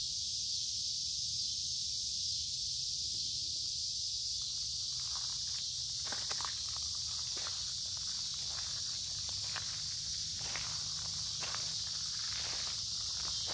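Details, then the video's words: Noisy summer cicadas along a wooded creek on a humid, warm day, giving a continuous high, hissing drone; footsteps and crackling leaves grow more frequent in the second half. "Walking along a Creek with lots of Noisy Cicada Insects Singing in Summer"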